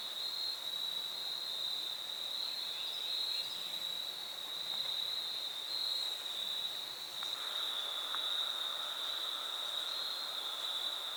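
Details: Crickets trilling nonstop on the Foothills Trail, fall 2022 thru hike: a level high-pitched ring runs throughout, with a fainter lower buzzing trill joining in the latter half over soft background hiss.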